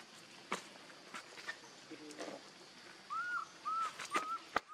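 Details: Baby monkey named Leo crying, begging its mother for milk: three short arched, whistle-like whimpers in quick succession near the end, after scattered clicks and rustling.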